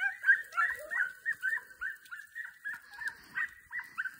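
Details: Young Podencos of the Perjuicillos pack at a training session give high, sharp yelps repeated rapidly at about three per second, each a short bright note of similar pitch, in a quiet setting.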